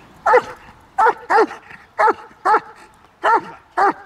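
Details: Trained German Shepherd from a protection-dog kennel barking on command during an on-and-off obedience drill: sharp, loud barks in bursts, roughly two per second with short gaps, a brief whine between.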